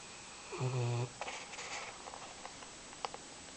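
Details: Wet puppy Oso asleep and drying after his day in the rain, giving a short low snore of about half a second, followed by faint rustling and small clicks in a quiet room.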